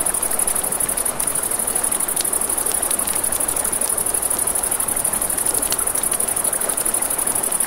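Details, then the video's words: Crickets chirping at night beside a river, with a campfire nearby: a steady, shrill, high-pitched trill runs unbroken throughout, over a soft rushing of water and sharp crackles and pops from the burning fire. "Campfire by the River at Night Ambience | 1 Hour of Crackling Fire, Crickets, Ambient Nature Sounds"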